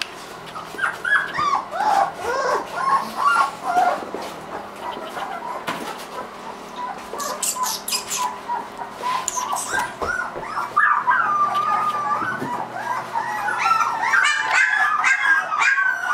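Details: A litter of three-week-old Irish Wolfhound puppies: thin, wavering whines and squeals that begin sparse, then grow steadier and louder toward the end, mixed with soft scuffling.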